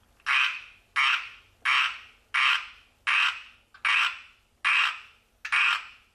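A tree frog gives a loud series of rasping, nasal croaks, each brief and buzzy. The notes repeat at a fairly even pace of about one and a half per second, with quiet between them.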